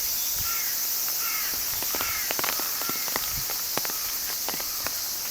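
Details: Continuous shrill cicada drone, high and even, overlaid by a few brief whistled bird notes and occasional soft ticks.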